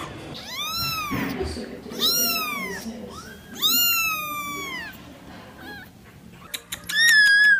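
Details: Cat giving three long, wavering meows, each about a second, then a pause and a burst of short, high squeaky mews at the end; soft background murmur throughout.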